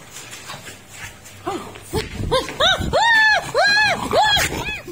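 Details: French Bulldog at play with its owner: a quick run of about six arched, rise-and-fall whining yelps that grow louder toward the end, preceded by faint background talk.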